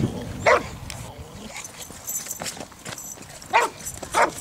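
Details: Boxer at the Centre d'Education canine et sportive de St Georges d'Orques, training with its club for character tests (APE and Sélection) at the regional breed show: three loud, sharp barks spaced seconds apart, with people talking quietly in the background.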